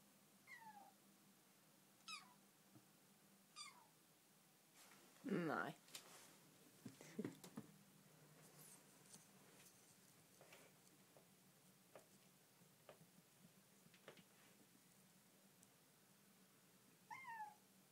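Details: Bengal kitten Dilly, newly arrived in her home, utters short descending meows every second or two, interrupted by a woman speaking Danish and some handling noises in a quiet room.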